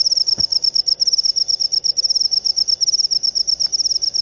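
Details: Shrill, fast-pulsed chirping from an upo cricket (jangkrik upo), bursts following each other almost without pause; a single soft knock near the start.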